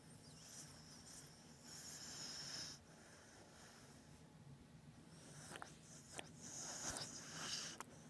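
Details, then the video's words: Batman, a pet beagle nicknamed Beag Beag, snoring loudly in deep sleep indoors; soft, breathy, rasping snores in long drawn-out swells, with a quieter gap in the middle and a low steady hum underneath. "Beagle snoring"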